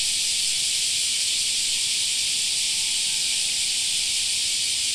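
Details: Summertime cicadas in a park producing a constant shrill, rasping drone from many callers, flat in pitch and volume from start to end.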